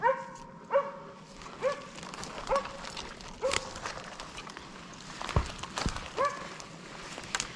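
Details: Arrow, a Slovakian hound, holding wild boar at bay on a November 2022 driven hunt in Sweden, gives steady ringing barks about once a second, each sharp and harmonic, over faint woodland rustle and a few cracking twigs.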